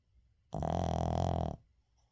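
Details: Snoring from Uijung, a Shih Tzu asleep indoors, recorded unedited; a single sustained, buzzy, rumbling inhalation of roughly one second against a quiet room.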